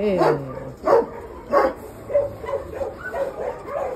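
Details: Dog barking three times, short harmonic barks roughly 0.7 seconds apart in the opening two seconds, followed by a person's voice repeating calls over quieter background sounds.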